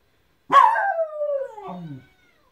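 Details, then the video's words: A Miniature Schnauzer howls at people passing by, a single drawn-out, falling howl that drops into a low, rough finish. "Miniature schnauzer barking/snorting/howling"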